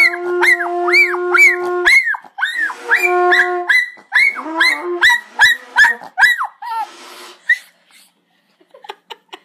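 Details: Pet dog named Rascal, who dislikes hunting horns, answers a hunting horn with a rapid run of arched, wavering howling yelps, roughly two per second. Steady horn tones sound under the first calls, and the yelps trail off into short, faint squeaks.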